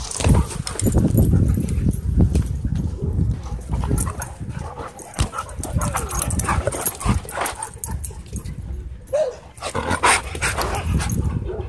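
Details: Two dogs play-fighting at a dog park: continuous low, rough growling and snarling with scuffling, broken near the nine-second mark by a short higher yelp.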